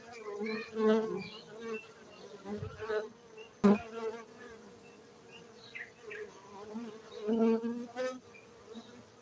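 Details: Buzzing of farmed honey bees in Bener Meriah, Gayo highlands of Aceh, Indonesia; an even droning hum with several louder swells and one sharp click-like burst near the middle.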